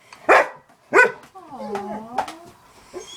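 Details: Pet dog indoors reacting while watching cat videos: two sharp, loud barks about two-thirds of a second apart, then a drawn-out wavering tonal cry with layered harmonics, and a few softer sounds at the end.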